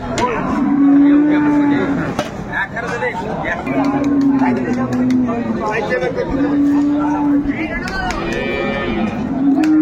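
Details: Market cow with calf at Ambari haat, Dinajpur, 22 April: four or five sustained, even-pitched lowing calls spaced a few seconds apart, with busy market talk and occasional clatter around them.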